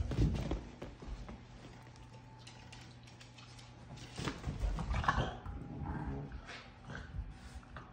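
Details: Two dogs, a Basset Hound and a Boston Terrier playing indoors, make low grumbling growls and snorts amid scuffling.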